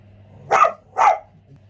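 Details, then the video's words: Dog outside barking a lot while a house dog reacts to it; two sharp, loud barks about half a second apart over a low steady hum. "The dog outside is barking a lot."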